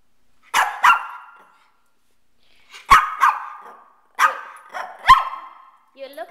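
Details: Shih Tzu pet named Kane, a male dog urged to speak, gives sharp barks in pairs and short clusters separated by brief silences, with some whiny tones and a person's speech at the end.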